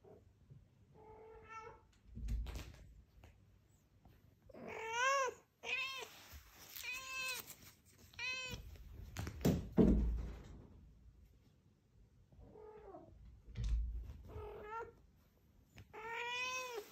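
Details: Fumiko the Scottish Straight cat fetches her ball and demands another throw. Roughly nine loud meows come in irregular runs, some drawn-out and wavering, mixed with thuds and low room rumble.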